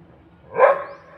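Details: Single short dog bark, a loud punchy burst that swells and fades within half a second against a quiet background.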